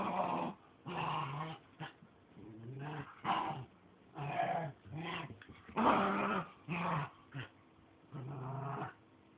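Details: Two playful pet dogs, a puppy of four and a half months and a three-year-old, playing hide and seek indoors, recorded on 14 May 2011: repeated short throaty growls and grumbles in bursts of about half a second, with pauses between.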